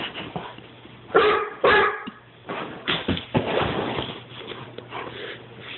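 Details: Weimaraner barking and yipping in quick, uneven bursts, several harsh barks close together with whining, tonal yelps in between, over a faint low hum.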